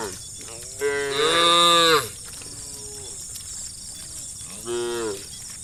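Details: Tame cows walking in a herd down a village road, calling to their friends: one long, loud, rising and falling moo, a quieter short low call, then another moo, against a constant high-pitched hiss.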